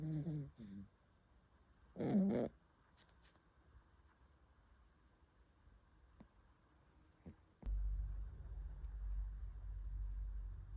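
A Shiba Inu–Corgi mix puppy snores in low, rumbling bursts between quiet breaths.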